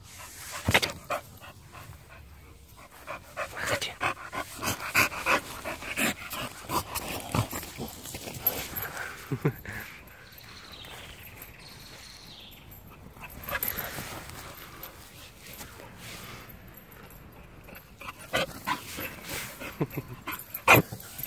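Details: Chow Chow dog playing excitedly; rapid, breathy panting bursts repeat irregularly throughout, with soft thumps and scuffling noises and brief quieter stretches between the rounds of play.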